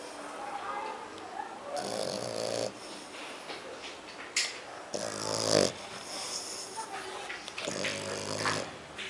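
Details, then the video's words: Kiko, a French Bulldog and Pug dog, snores in three coarse, buzzy bursts about three seconds apart, each lasting close to a second, with softer snuffling breaths filling the gaps. "kiko roncando"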